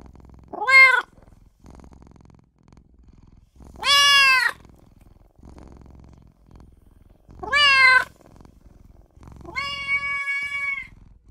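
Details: Little newborn kitten crying out for its mother and owner, four high meows about three seconds apart, the first three short and rising, the last longer and flatter, with soft low rumbling between calls.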